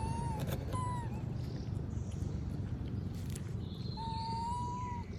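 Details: Monkey named Moby asking for food while others eat peanuts: thin, drawn-out whistled whimpers, two short ones at the start, then a long steady cry near the end. Fainter high whistles and steady background hum underneath.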